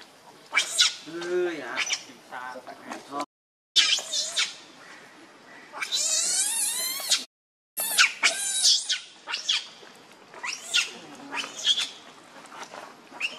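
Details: Hungry infant monkey pleading with its mother for milk: harsh, trembling screams and drawn-out wavering squeals, interrupted by two short gaps, with lower whimpering notes early on.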